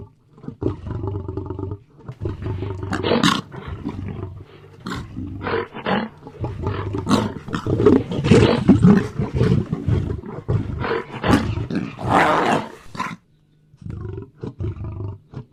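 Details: A lion gives deep, rumbling roars and rough growls in a run of powerful bursts.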